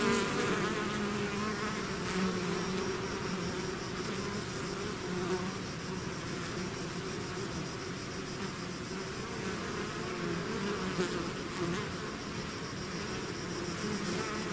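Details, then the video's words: A swarm of bees out of its hive: a dense, continuous buzzing hum with steady low tones and wavering pitch shifts as individual bees pass close, holding an even loudness throughout. "bees therapy swarm natural buzzing sound"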